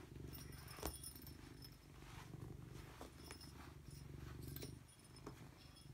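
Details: Robbie Coltrane, a pet cat, purrs steadily: a deep, continuous buzzing rumble, throbbing evenly, with faint rustling and a single sharp tap near the start.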